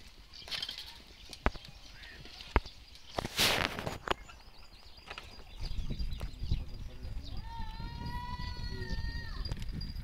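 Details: Gulabi cross goat on a farm giving a drawn-out, wavering bleat near the end, preceded by scattered clicks, knocks and a brief noisy burst, with low rumbling background.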